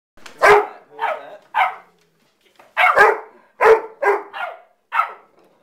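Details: A dog barking at puppies gives short, sharp bursts: three quick barks, a pause, then four more.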